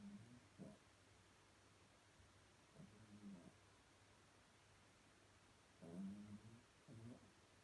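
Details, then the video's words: Little Chihuahua snoring quietly while fast asleep and dreaming; short, soft rasping snores with a low hum, clustered near the start, middle and end of the stretch, separated by near-silent gaps. "Kleiner Chihuahua träumt ganz fest und schnarcht leise"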